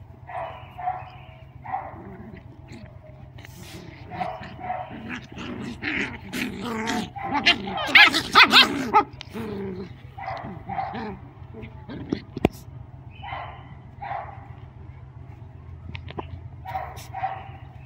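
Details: Mrvica the Doberman romping with Kerry Blue Terrier puppies; rapid, overlapping barks and yips that build to a loud, dense flurry midway, then ease back to scattered paired barks over a low hum.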